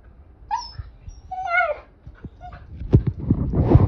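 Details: Siberian husky that wants to play, calling to its owner. It gives two high, yelping whines, the second wavering and falling, followed by softer snuffles and bumping noises.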